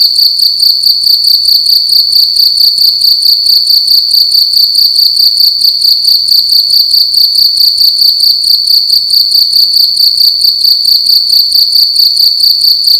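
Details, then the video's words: Loud cricket chirping inside a room during the night, a continuous shrill ringing tone broken into rapid even pulses, repeated steadily for the whole stretch with only a soft low background hum. "Cricket making loud sounds at night in a room"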